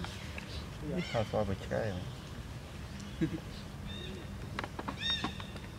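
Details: Baby monkey Leo, sleepy while his mother tries to train him, gives high, wavering harmonic cries in short bursts around the middle, with people's voices and scattered clicks and rustles around them.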